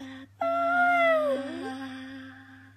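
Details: Female Jack Russell Pug mix called Luckey howling together with her owner in a small room; a drawn-out, high vocal note sinking gradually over a second above a constant low human hum that continues afterward.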